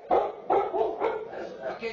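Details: Pet dogs barking at the window, a habit their owner trained them to stop using only treats; three sharp, harmonic barks about half a second apart, then softer, lower voiced sounds trailing off.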